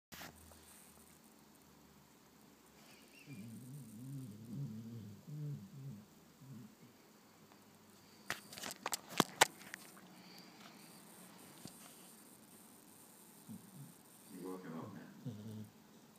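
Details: Sleepy pet spaniel named George snoring and blowing bubbles while asleep indoors: two spells of low, rough, pulsing breaths near the start and end, with a brief cluster of sharp clicks and taps in between in a quiet small room.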